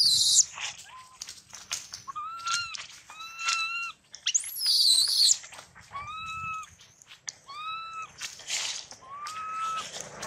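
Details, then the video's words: Young monkey crying after a big male monkey bit it and nearly severed its leg; clear rising-then-falling whistled wails repeated every second or so, with a harsh high screech midway and rustling noise throughout. "Thương Hại Chú Khỉ Con Bị Khỉ Đực Lớn Cắn Gần Đứt Chân"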